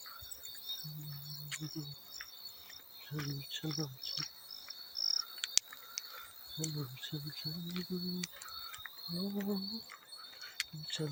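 A field cricket's high, ringing chirps pulse steadily, with occasional splashes and low buzzy calls.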